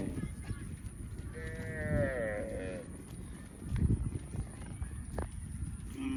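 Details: Calf producing one long quavering call lasting over a second, wobbling in pitch, amid low background noise and a thump.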